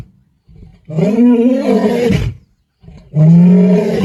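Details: A male lion of the Black Dam group gives deep, rumbling roars calling his brothers, Kruger National Park, 8 December 2025.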